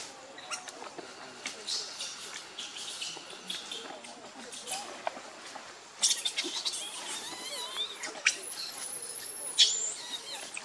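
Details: Baby monkey Lucie crying because she is hungry for milk, foaming at the mouth; high, thin squealing cries with wavering and rising pitch in the second half, broken by sharp bursts, over a steady insect hum.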